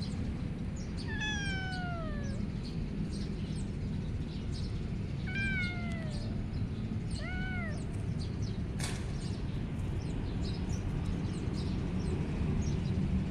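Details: Tricolour male kitten, one its mother did not eat, gives three clear meows: a long falling cry, then two shorter arched ones a few seconds apart, over a steady low rumbling background and a single sharp click afterward.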